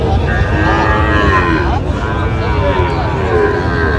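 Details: Sahiwal calf at a busy cattle market in Dinajpur, Bangladesh, giving a drawn-out, slightly wavering moo of about one and a half seconds amid market hubbub, low engine rumble and nearby voices.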